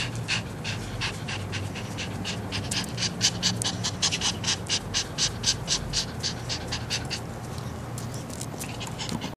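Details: Aroused Chihuahua panting: quick breathy puffs, roughly two to three each second, keeping a steady rhythm over a constant low hum.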